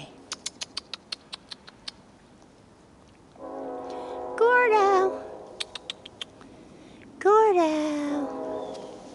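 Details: A giant Alaskan Malamute puppy playing in the snow gives two drawn-out, wavering whines that slide downward in pitch, after a run of sharp crunching clicks.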